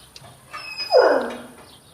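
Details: Kangal puppies Gölge and Duman at their first meeting after the lockdown curfew; one loud, short whine or yelp that starts high and slides down over about half a second, with quiet surroundings before and after.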